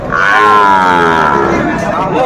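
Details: Young Sahiwal bull at a Dhaka livestock market, Bangladesh, 26 December 2024: one loud, sustained moo lasting about a second and a half, slightly falling in pitch, with market voices behind.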